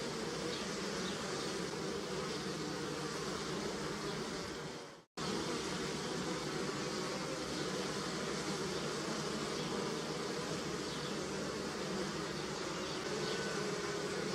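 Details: Bees humming on pussy willow, a steady dense drone of many insects that cuts out abruptly for a moment near five seconds, then resumes at the same level.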